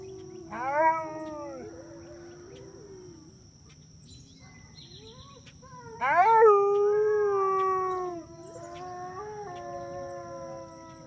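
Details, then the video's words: Wolf howling together with its pack: a level sustained howl, a pause, then a loud higher howl that falls and settles, with several overlapping voices weaving in. A steady faint hum runs underneath. "Spirit howling with the pack"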